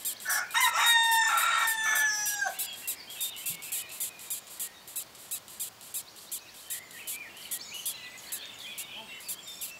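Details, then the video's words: Longhorn beetles, Cerambyx scopolii, squeaking in June 2015: dry, scratchy, high-pitched pulses repeat steadily about four times a second throughout. A rooster crows loudly over the first two seconds. "Longhorn beetles (Cerambycidae - Cerambyx scopolii) 'squeaking'"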